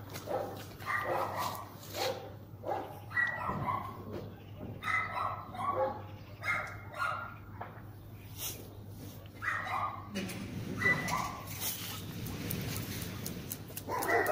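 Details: German Shepherd in a protection test, cold first entry with no warm-up: volleys of loud barks separated by brief pauses, a man's voice talking between them, and a constant low background hum.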